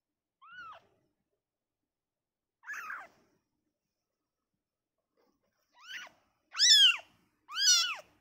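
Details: Freshly born kitten removed from its mother gives five thin arched mews, the first three soft and spaced, the last two louder and close together, in an otherwise quiet room.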